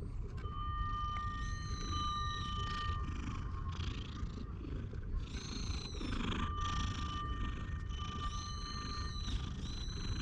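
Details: Stray cat settled on a lap on a park bench, being petted, recorded with a GoPro: a continuous low, grainy rumble of purring beneath bright whistled birdsong and steady high tonal notes.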